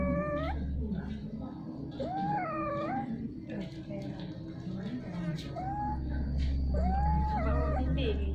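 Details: Domestic cats mating repeatedly over a long time, giving strange sounds: short wavering, rising-and-falling yowls repeated every second or so, over a steady low hum.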